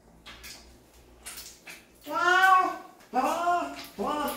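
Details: Cat being washed lets out three complaining meows, the first long and wavering, the next two shorter, with splashing water and rustling before them.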